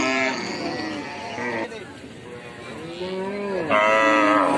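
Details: Cattle lowing: several loud, drawn-out moos with strong layered overtones, each bending up then sliding down, one after another with brief gaps, the last starting sharply and holding steady.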